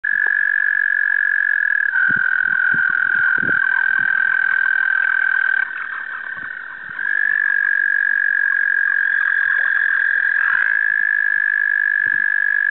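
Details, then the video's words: A male American toad (Anaxyrus americanus) gives a long, steady musical trill that holds one pitch for many seconds, calling in spring 2015 in New York. "American Toad Calling"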